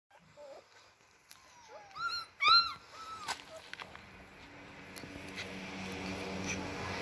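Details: Six-week-old Alaskan Malamute puppies from one litter, indoors: a few short, high, arched whining squeals in quick succession, then quieter rustling and a rising background hiss.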